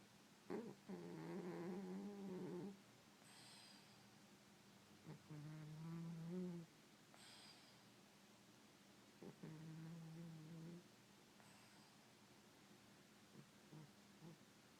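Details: A 13-year-old male brown tabby Maine Coon cat, sleeping soundly, snores in slow, rumbling, low-pitched breaths repeating about every four seconds.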